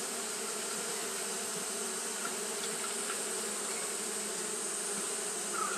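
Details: Constant wing hum of Japanese honey bees fanning through a hot day, a thick steady drone of many insects with faint brief higher whines from passing bees.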